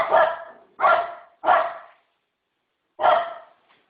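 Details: Dog barking: four loud, harsh barks, the first three about two-thirds of a second apart, then a pause of over a second before the last, with silence between.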